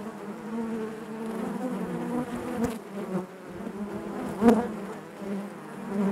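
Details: Honey bees humming within the hive, a rich low drone layered with overtones, level shifting slowly, with a sudden loud buzz of a nearby bee partway through.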